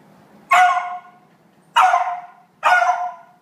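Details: Indignant female dog barking because another dog holds her favourite toy. Three loud, rough barks about a second apart, each abrupt and fading, with a faint low hum between them.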